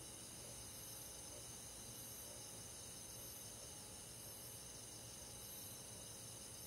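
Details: Crickets with other forest insects on a summer night in the countryside, giving an unbroken high-pitched chorus of rapid, gently pulsing trills over a soft background hiss.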